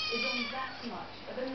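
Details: Female Siamese cat answering back when told to get down, a drawn-out vocal meow with strong layered harmonics, wavering in pitch over about a second and a half, indoors.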